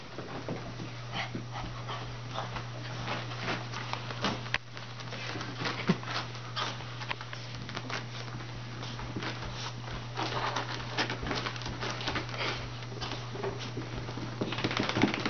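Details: Shih Tzu and Chihuahua cross puppy indoors after a bath: rapid broadband snuffling and panting bursts with faint whimpering, over a steady low electrical hum in a small room.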